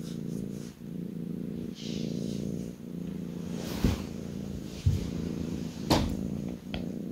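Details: Kitten on a lap purring indoors, a low buzzing rumble broken into breaths roughly once a second, with a few soft knocks and rustling sounds over it.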